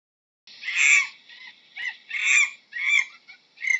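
A monkey gives harsh, screechy calls in short bursts, about every second or so.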